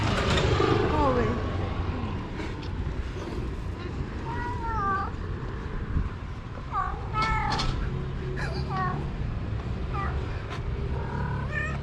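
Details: Female stray cat calling after being parted from a male companion: short, rising-then-falling meows repeated every few seconds, often in quick pairs, over a steady low rumble and a person talking.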